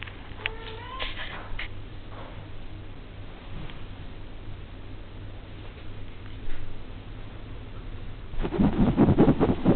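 A five-week-old Devon Rex kitten gives a quick series of thin, high-pitched mews that rise and waver at the start. After a quiet stretch with low background hum, a burst of rustling handling noise ends the recording.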